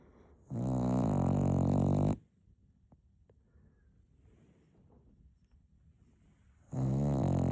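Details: Napping Cocker Spaniel puppy gives a loud, buzzy, rumbling snore of about a second and a half, then near silence for four seconds before the next harsh snore starts.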